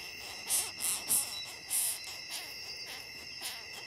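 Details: Longhorn beetle, picked up in a forest in Ghana, protesting its handling: four sharp, high, scratchy squeak bursts in quick succession, then fainter ones, over a steady background drone of other insects.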